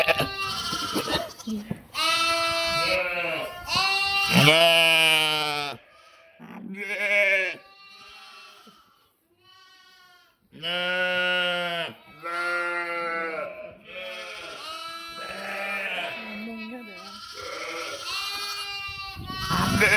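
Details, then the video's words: Sheep and lambs recorded 11/5/2026, several animals bleating loudly in long, wavering, harmonic-rich calls that overlap and follow one another in bursts, with a brief quiet stretch midway before the chorus of bleats resumes. "Funny sheep and cute lambs bleating, making noise"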